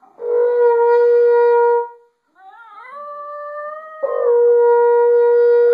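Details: A Basenji sings along with a baritone horn, giving a wavering, gliding howl between the horn's long, steady notes; the dog especially likes the high B flat.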